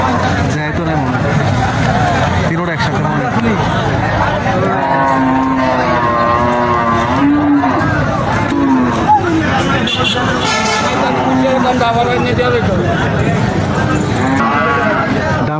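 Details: Cattle at the Moynamoti cattle market in Comilla, Bangladesh, where Sahiwal bulls are sold: low drawn-out moos rising and falling through the middle stretch, half-buried under steady crowd hubbub, men talking and general market noise.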